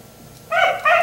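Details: Black Labrador retriever left outside until 1am, giving two short sharp barks in quick succession after a moment of quiet night background.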